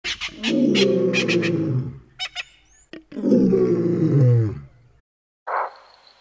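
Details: Common or Cape bushbuck in Kruger National Park, South Africa, giving alarm calls near water: two loud, hoarse, drawn-out harmonic calls lasting about two seconds each, separated by sharp clicks and brief rustles, with a short higher burst at the end.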